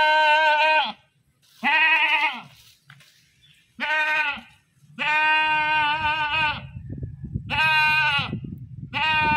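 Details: Goat screaming in a run of five strong, nasal bleats, some long and wavering, separated by short pauses; low rumbling noise underlies the later calls.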